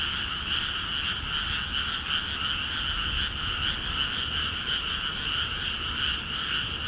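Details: Frogs calling en masse in flooded rice paddies of Akiha Ward after water is let into the fields; a dense, continuous croaking chorus with two steady bands, mid and higher pitched, pulsing rapidly throughout, low rumble beneath.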